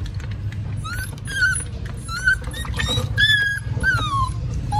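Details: Two rescued stray puppies found at a small cottage give high whistling whimpers that rise and fall, several thin cries in quick succession over a low background rumble.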